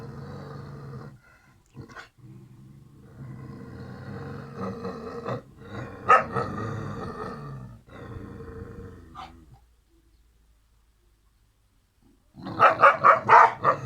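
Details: Two Kangal puppies, siblings Karo and Karaca, rumble with steady low growls, fall quiet for a couple of seconds, then break into a quick burst of about five loud barks.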